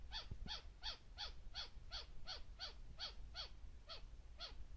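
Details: White-faced flying squirrel of the Taiwan-endemic subspecies, on the Beidawushan trail in March 2018, gives a steady run of twelve harsh, high chirps, each dropping sharply in pitch, about three per second over low rumbling background.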